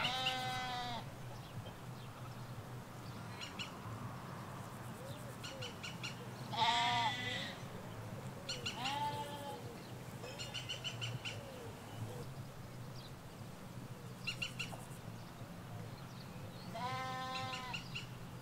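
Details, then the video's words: Sheep, ewes with their lambs, grazing a Hampshire countryside field, caught in stereo from along a hedge. Repeated quavering bleats, some higher and thinner, scattered across the recording, with small birds twittering and a steady low background rumble. "Sheep Field - One Hour Sound and Video"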